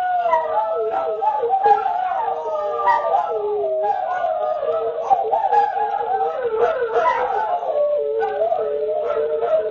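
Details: Greyhound roo chorus, many wavering howls stacked and crossing, voices rising and falling restlessly, dense and continuous for nearly ten seconds.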